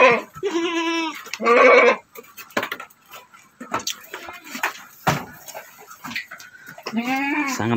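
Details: Goat on a farm, where a Doroan doe birthed one male kid, now roughly three months old and meant as a future breeding buck. Short quavering bleats repeat in quick bursts, then one more later, mixed with a man's speech and handling noises.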